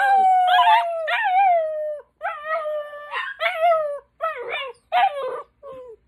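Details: A mastiff puppy howls in long, wavering tones, with a Chihuahua and a person howling along.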